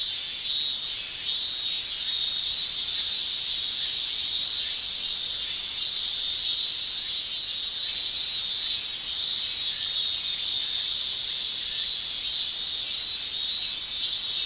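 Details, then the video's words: Japanese summer cicadas, males singing by tymbal: a high buzzing shrill broken into pulsing surges, roughly one swell each second, uneven in rhythm, over a continuous background drone. "Japan Summer Cicada Shrilling"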